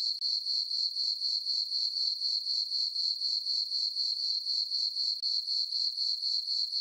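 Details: Crickets chirping on a farm meadow on a peaceful summer night under a full moon; a steady, high, ringing trill pulsed about four times per second, even and unbroken, with no other sounds.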